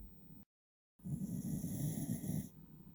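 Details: Beagle named Will-san asleep indoors with eyes half open, giving low rumbling snores in quick pulses after a brief cut of silence, with a steady high tonal layer over most of it.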